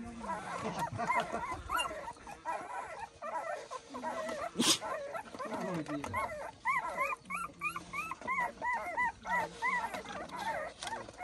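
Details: Mother dog fighting to protect food for her puppies; quick, high, upward-arched whining yelps come in rapid runs, with scuffling noise, a sharp crack near the middle and faint voices in the background.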